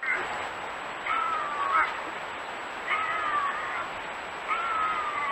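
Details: Bobcat howls offered as a raccoon and rodent deterrent: three drawn-out, wavering wails, each about a second long, come roughly every 1.7 seconds over a steady hiss and a thin high tone.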